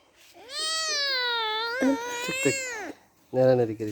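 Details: Kittens playing with each other: one long, drawn-out meow lasting over two seconds, steady, then bending up and down near its end, followed by a short, lower voiced sound.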